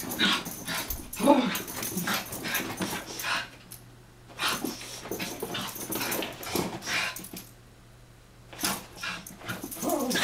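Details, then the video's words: Playful wrestling between two Chihuahuas, Taco and Santi, indoors: rough growling bursts and scuffles alternate with short hushed pauses, a few faint voices faintly behind. "Taco&Santi - Chihuahua Games"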